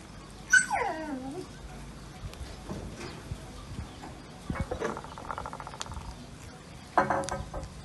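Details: Kittens fed fish with rice; one gives a single loud meow that slides steeply down in pitch early on, followed by quieter tonal chatter, soft clinks and a brief sharp cry near the end.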